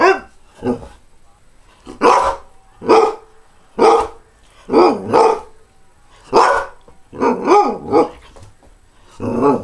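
A greyhound gives a run of short, rough barks, each a quick burst with a harsh mid-pitched tone. Some come singly, others in quick pairs, with brief pauses between them.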